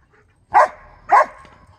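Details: Husky versus Briard encounter: a dog gives two forceful barks roughly 0.6 seconds apart, abrupt onsets, bright harmonic bursts fading quickly into near silence.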